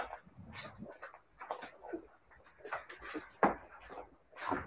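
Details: Siberian Husky puppies giving short, uneven whimpers and yelping whines, mid-pitched and broken into brief bursts, with a sharp knock near the middle and a louder whine at the end in a small room.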